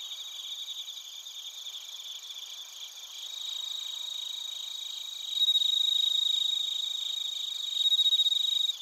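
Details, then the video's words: Crickets and bell crickets sing in Narita, Chiba Prefecture, Japan, recorded on a TASCAM Portacapture X8. Continuous high trilling chorus; after about five seconds a louder, pure ringing tone rises above the pulsing background and swells again near the end. "スズムシとコオロギの鳴き声 - Chirping of crickets"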